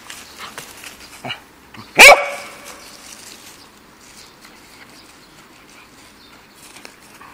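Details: A Pembroke Welsh Corgi playing in a park gives one sharp, loud bark against a quiet outdoor background.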